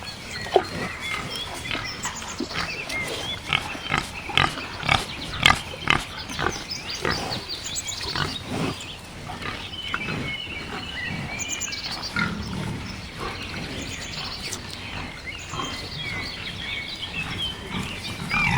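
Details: A wild boar (Sus scrofa) grunts and snorts in rough, irregular bursts throughout.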